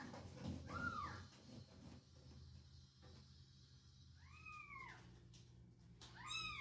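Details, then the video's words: Pet cats respond to an odd meow sound from a box. Three drawn-out, curved meows separated by several seconds of quiet room hum, the last one higher and brighter. "Funny Cats Reaction To Strange Meow Sound From The Box"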